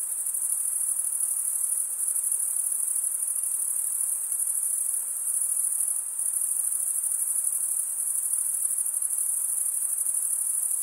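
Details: Male crickets chirping by stridulation fill the air with an even, piercing high buzz. Gentle, irregular swells and slight fades in volume run through the steady drone.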